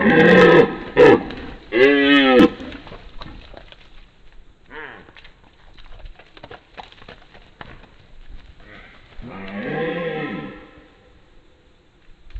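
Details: Rutting red deer stag in 2022 chasing away younger competitors, giving a burst of harsh, loud roars in quick succession, then quiet pauses with faint rustling before one more deep, drawn-out bellow.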